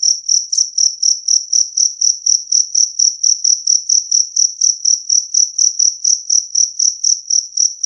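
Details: Jangkrik kalung, or two-spotted cricket, chirping clearly and loudly in a recording meant to repel rats; a piercing, ringing note broken into rapid, regular chirps near four each second, over silence.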